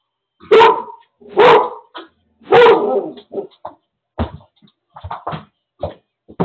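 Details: Indoor seizure alert dog alerting during its owner's seizure, nobody else home: three loud, harsh barks in quick succession, followed by scattered knocks, thumps and shuffling noises.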